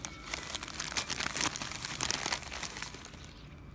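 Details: Loud crinkling and crumpling, like plastic being handled, fills the short recording, with no animal sound.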